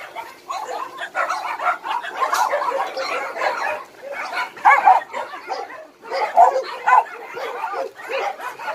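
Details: Many abandoned dogs at Hanna's shelter, a rescue shelter for abandoned dogs in Daegu, bark together in a dense, overlapping chorus of sharp yaps and barks that rise and fall in bursts, with a few louder barks near the end.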